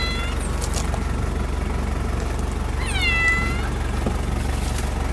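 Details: Male cat Jin in Paraguay on the day of his neutering surgery gives two drawn-out, slightly falling meows about three seconds apart over a steady, deep rumbling drone.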